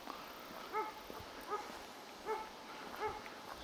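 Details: A hunting dog bays at a raccoon dog at a field edge in Hankasalmi, Finland, on 22 September 2023, in evenly spaced, ringing barks, roughly one every three-quarters of a second.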